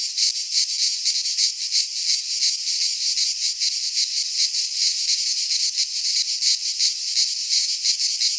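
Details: Cicadas singing in midsummer in a Greek pine forest: a dense, loud buzzing chorus, high and hissing, pulsing in rapid throbs about three per second without pause.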